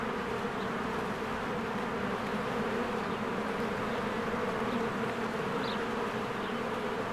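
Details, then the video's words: Busy honeybees at their cozy hive in blooming spring, a constant droning buzz of countless wings holding level the whole time, one short faint bird chirp rising over it. "1 Hour of a Beehive ASMR"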